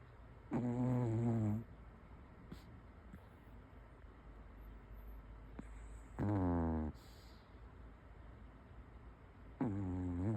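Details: A sleeping Pomeranian snores: three loud, drawn, tonal snorts about a second each, widely spaced, with a quiet hum between them.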